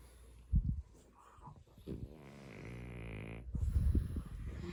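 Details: A pet dog, Mungchi, asleep while someone tickles its paw pads, gives soft snorting breaths, then a faint, steady low grumble of about a second and a half before more snuffling.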